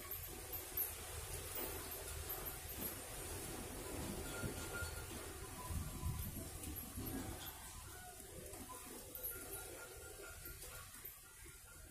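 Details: Low, muffled rumbling room noise with faint music-like tones and indistinct background sounds, and no clear animal calls.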